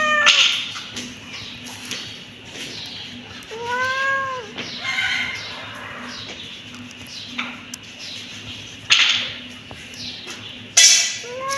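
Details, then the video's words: Kitten meowing in short, high, arching mews with a steady low hum underneath; a few sharp clicks and knocks break in near the end. "Cute kitten meowing"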